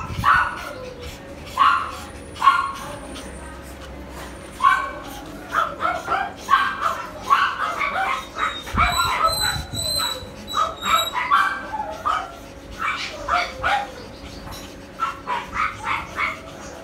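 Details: Poodle barking at a breeding service in Tan Binh District, Ho Chi Minh City, Vietnam: clustered yappy barks with brief whimpering notes, a few thin high beeps in the middle, and a constant low hum underneath.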